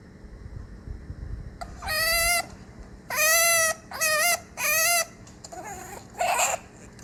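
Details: A chinchilla screams in loud, harmonic, wailing bursts, a serious distress sound of severe pain or terror for its life, often after a fight with another chinchilla.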